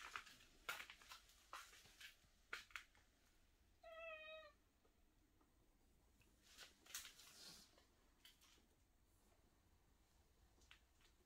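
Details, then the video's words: Single short meow from a cat wandering and crying around a room, surrounded by sharp clicks, taps and handling noises indoors. "계속 울면서 방을 돌아다니는 고양이"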